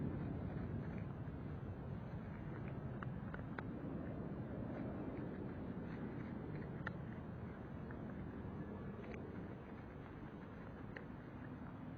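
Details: Steady low broadband hiss like traffic or engine noise, with a few faint ticks and clicks, and no clear animal sound.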